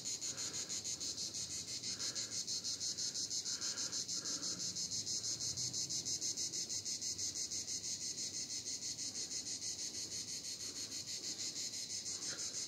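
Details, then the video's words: Cicadas at Vidauban, France, in 2024: a loud, continuous high-pitched buzzing chorus, pulsing steadily about three times per second throughout, with faint lower sounds in the background. "cigales Vidauban 2024"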